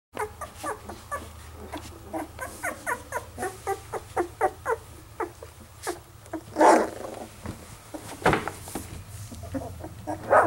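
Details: Dark red Standard Poodle puppies; a series of short squeaky whimpers and yelps repeated about every half second, with a few louder broader cries near the end and faint low background hum.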